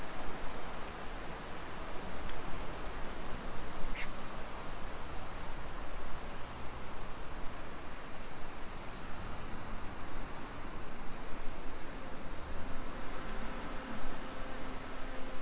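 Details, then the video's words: Cicadas buzz on a summer afternoon, 2 PM, 28 July 2021, along suburban streets of Nisshin city near Nagoya, Japan. A continuous high-pitched sizzling drone holds level throughout, over a constant low rumble and a few faint clicks. "Summer Cicadas Sounds"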